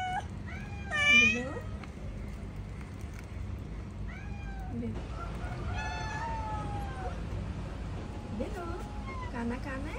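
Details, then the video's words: Hungry cat asking for food, giving a series of melodious, harmonic meows that rise and fall. A loud, drawn-out meow comes near the start, followed by softer, shorter meows spaced a few seconds apart over a steady low hum. "Kitten Meowing to attract cats | The Most Melodious Meow | Cat Sound ASMR"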